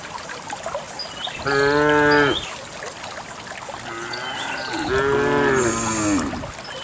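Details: Herded cows moving along a narrow dusty path to the farm pen give two strong, level, harmonic moos about three seconds apart, with quieter lowing and hoof noise between.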